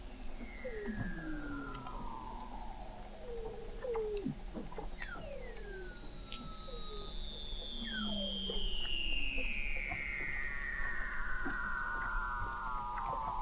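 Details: Under Antarctic sea ice in McMurdo Sound, Weddell seals recorded in November 2017 by an observatory 21 m below the surface: long slowly gliding high whistles descending across the whole stretch, overlapping shorter downward chirps and trills from several seals.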